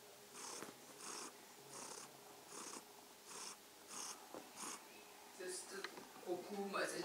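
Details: A purring kitten giving an evening greeting: soft, raspy purr pulses swelling and fading about every three-quarters of a second, with a few clicks and handling noises toward the end.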